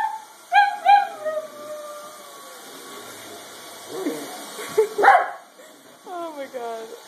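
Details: Archie, an Italian greyhound, 'sings' in reaction to a vacuum cleaner while a second greyhound, Angel, is nearby. Wavering, high howls slide downward, followed by a noisy scuffling middle stretch and a final burst of short falling yelps.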